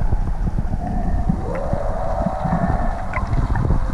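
A whale gives a long, drawn-out tonal moan that slides up and down over deep underwater rumble.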